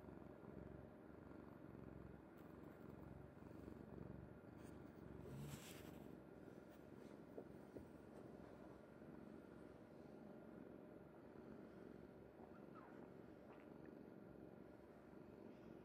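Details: Kuri-chan, a pet cat, sleeping peacefully on its owner's mother's bed, purring in a soft, steady low rumble that runs unbroken throughout, with a brief rustling burst midway.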